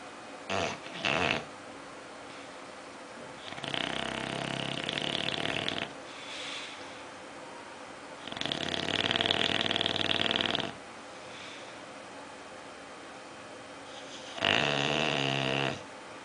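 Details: Oliver, a pet bulldog, sleeping and dreaming indoors, gives long rasping snores about two seconds each, spaced roughly five seconds apart, with short snorts near the start.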